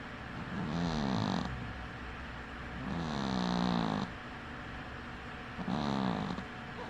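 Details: Domestic cat snoring while sleeping with one eye open; three rasping, harmonic breaths, each about half a second long with a rising-falling tone, separated by quieter pauses.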